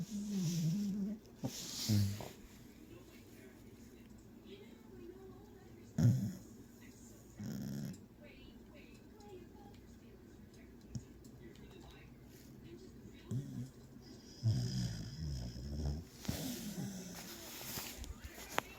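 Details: Sleeping beagle dreaming, giving short muffled low whimpers, grunts and snuffling snores in scattered bursts, with long quiet gaps and a person speaking softly nearby.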